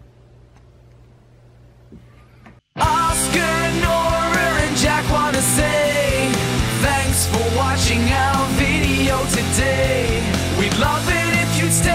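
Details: A near-silent opening gives way abruptly to loud rock music with a singing voice and full band; no animal sound is heard.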